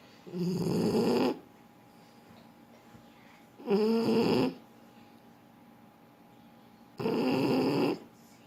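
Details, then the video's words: French Bulldog snoring in its sleep, with three loud, gravelly snores about three seconds apart, the middle one carrying a wobbly whistling tone, and a soft background hum. "Французский бульдог. Спит и храпит."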